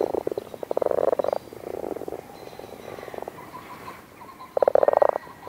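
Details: Several male frogs croak together to breed in a pool at the edge of a wood in the British countryside, at the end of February in bitterly cold weather; soft, purring, rapidly pulsed bursts of half a second to a second, with short pauses.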